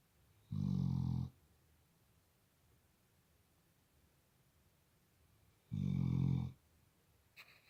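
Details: Labrador Retriever snoring indoors in a quiet room: two deep, rasping low snores, each under a second long, spaced about five seconds apart, with near silence between them.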